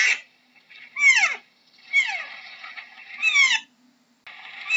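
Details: Three falling, squealing deer calls spaced about a second apart, linked by a softer, rough, sustained tone, in otherwise quiet surroundings.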